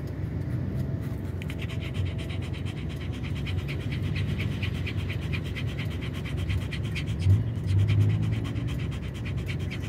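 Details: Owchin the dog, upset by noise outside as a tyre is being changed, keeps up fast rhythmic panting, hissing breaths in a steady run, with a low background rumble and a brief louder thump near the end.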